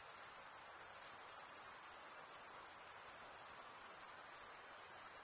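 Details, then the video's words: A steady shrill drone of crickets chirping, produced by males scraping one wing across the serrated vein of the other. The high trill stays unchanged from start to finish. "Most relaxing cricket sound"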